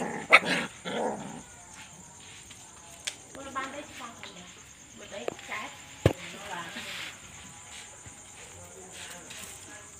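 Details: At night, puppies squabble at play with a few sharp yelps and short barks, then lower whining grumbles, spaced by quiet gaps, while a constant shrill hum runs underneath.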